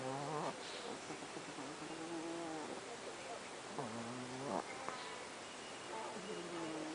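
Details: Pet Chihuahuas asleep at night produce soft, wheezy, nasal snores with short rising squeaky ends, over a steady hiss of background noise.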